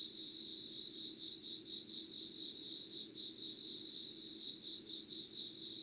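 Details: Dawn insect chorus, 5:00 on 25 August 2019, Yugawara, Kanagawa, Japan. High, evenly pulsed chirping repeats roughly twice a second, with a faint continuous shrill tone above that fades partway through, over a low rumble.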